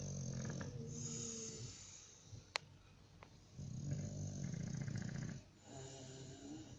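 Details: Bulldog snores in a low rumbling, snorting rhythm, each breath lasting about one and a half seconds with short quiet gaps, plus a single sharp click partway through.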